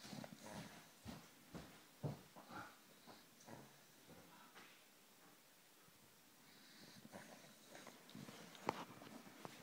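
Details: Molly, a pet dog, asleep on the sofa indoors, snoring: rough snorting breaths in quick succession, roughly two per second at first, growing quieter and more irregular toward the end, with a faint catch near the close.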